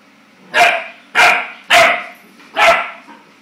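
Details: Clumber Spaniel puppy, male, barking at his own reflection out of fright: four sharp, loud barks, about half a second apart, then a pause before the last, in a quiet room.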